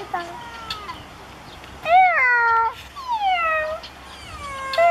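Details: Ring-tailed lemurs give plaintive, cat-like mewing calls that slide downward, several voices overlapping; possibly a territorial call, though this is uncertain. Children's noises can be heard.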